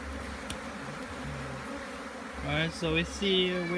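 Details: Honey bees buzzing during a hive inspection in Jamaica: a steady low hum with overtones, growing louder and more tonal in the final second as individual bees fly close.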